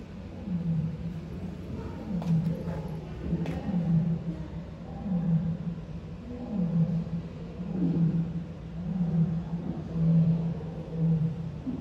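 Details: Lily, a lioness among lion siblings at Tobe Zoo, Japan, filmed 14 February 2024, gives a long-distance roar: low, rumbling grunts pulse again and again roughly every second and a half over a steady background drone.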